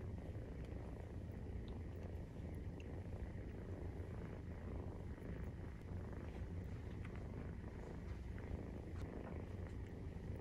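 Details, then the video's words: Maine Coon kitten, 43 days old, purring while nursing from its mother; a steady, continuous low rumble fills the whole stretch with no pauses, only faint soft clicks above it. "授乳時のゴロゴロ 生後43日目【メインクーン動画】"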